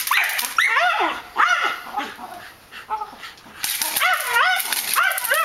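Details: Guard Malinois during defence and attack training, letting out high, rising-then-falling yelping whines in clusters, a quieter gap in the middle, then another burst of excited barks.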